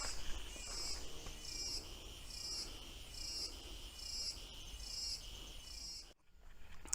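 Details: Cicadas singing in a loud stretch of the Bosque Municipal woodland in Águas de São Pedro, São Paulo, Brazil: high buzzy pulsed trills repeating roughly every 0.8 seconds in a steady chorus, with footsteps and faint background noise.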